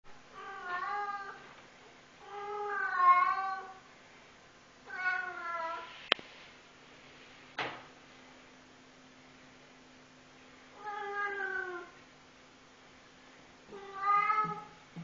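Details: A Maine Coon cat gives long, wavering, growly meows, each about a second and separated by pauses, described as a nightmarish roar.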